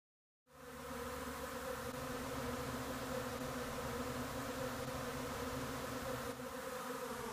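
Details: Honey bee swarm descending on a yard to fill a vacant hive box, the bees gorged on honey, caught on a phone. A dense, steady droning hum with layered low tones begins abruptly and continues unbroken, with no other sounds.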